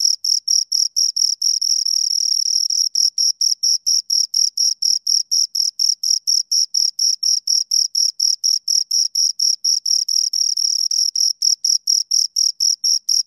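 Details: Two crickets chirping rhythmically, high scratchy pulses twice a second, occasionally merging into a longer unbroken trill for a second or two, then resuming the even beat.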